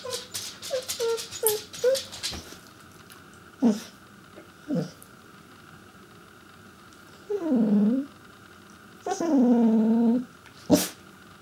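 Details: Chester the Pembroke Welsh Corgi, a house pet, vocalizing for his owners' attention: a burst of quick short yips, then scattered soft sounds, and two low, drawn-out groaning howls, the second holding a steady pitch for about a second.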